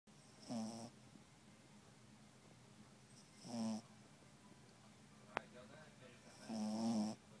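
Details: A sleeping dog snores indoors, three drawn-out rasping breaths spaced about three seconds apart, each a low buzzy rattle with faint high hiss, and a single sharp click in between against a quiet background.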